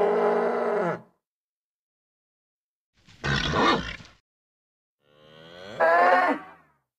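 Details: Nervous bull: a steady harmonic moo of about one second, then a short rough grunting burst, and finally a louder bellow that swells and rises in pitch. The calls are separated by silent gaps.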